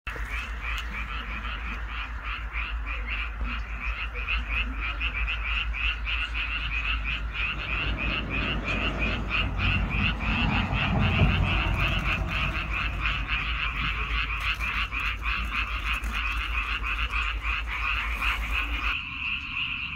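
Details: Frogs calling in rice fields on Baengnyeongdo Island: a dense, unbroken chorus of rapid rattling croaks that overlap into a steady buzz, with a heavy low rumble beneath that swells midway and drops out near the end.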